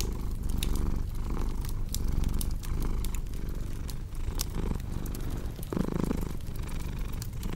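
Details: Domestic cat purring, mixed for relaxation and sleep: a continuous deep rumble that swells and eases in breath-like cycles, with sharp crackles and pops of a fireplace scattered over it.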